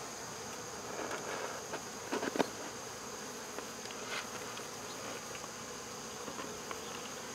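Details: Honey bee swarm being removed from a local baseball field, a steady dense buzzing hum with a few brief louder bursts near the two-second mark and faint background knocks.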